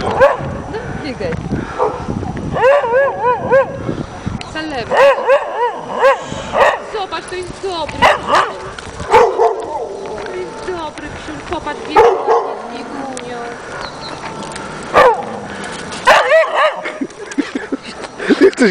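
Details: Salma, an Afghan Hound, barks at a playful Doberman on a snowy late-March walk in 2009. A few clusters of yipping barks come early, and human speech and walking noise take up much of the rest.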